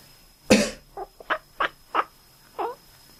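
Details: A person coughs once, then a sleeping male cat answers with a string of short, nasal, quack-like chirps.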